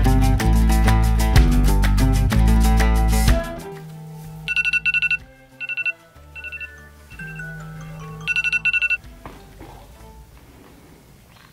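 Music with strong low beats, then bursts of a ringing phone-like tone over quieter sounds; no animal is heard.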